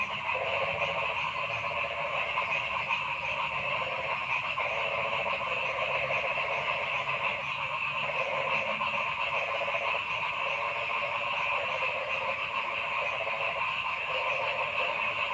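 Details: Frogs calling in a forest, a dense, continuous chorus of overlapping pulsed croaks in several pitch bands, with a steady hiss-like layer and no pauses throughout.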